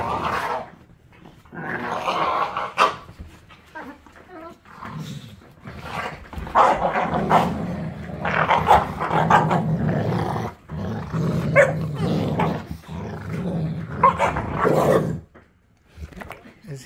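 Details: Young American Pit Bull Terrier still with baby teeth mock-fighting a tolerant rescue pit bull, chewing on him; near-continuous throaty growling and snarling with sharper rising snarls, broken by a few pauses and thumps.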